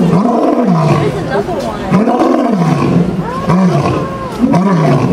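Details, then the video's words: Deep roaring from a lion at the Bronx Zoo in the USA: four swelling, low, groaning grunts spaced roughly a second apart, each rising then falling, over a murmur of onlookers' voices. "Lion king’s Roar at Bronx Zoo"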